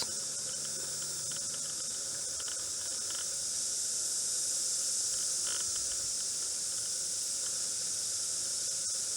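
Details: Cicadas still singing near midnight, 11:30 p.m. on 9 February 2014, though normally active by day; a continuous piercing high drone swells slightly midway, with faint rapid pulsing texture throughout.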